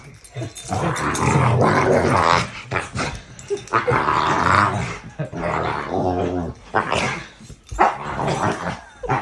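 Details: American Bully male dog, called a gentle giant, giving drawn-out, eerie, demon-like growls and grumbling moans in several bursts, with harmonic whining tones and a person's voice in between.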